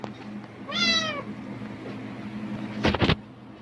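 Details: A cat reacting to a rustling plastic bag, apparently expecting food, utters one clear, slightly wavering meow lasting about half a second, followed by a brief burst of crinkling plastic over a steady low hum.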